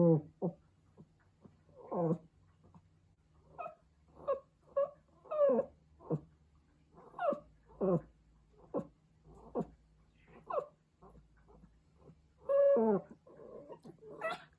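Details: Pomeranian puppy howling because it misses its mother, giving short, wavering, whiny cries repeated roughly every second through the passage, a few of them rising higher near the end, with a faint low hum underneath.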